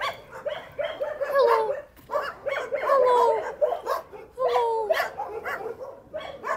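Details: Dogs in a shelter, one described as sad and looking for everyone: high, wavering whines and yelps in short bursts, some sliding downward, over a clamor of barking in the background and a person's voice greeting the animals.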